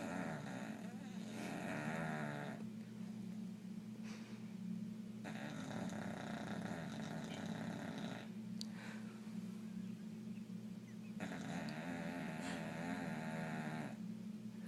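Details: Bubbles, a bulldog, asleep and snoring, a steady low rumbling drone running through the whole stretch with rhythmic breathing, broken by a few louder, rougher passages and one sharp click.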